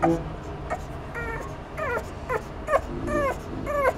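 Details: Boston terrier puppies giving a run of high, thin whimpers and yips, each a short whine bending downward, about one every half second, over a steady low hum.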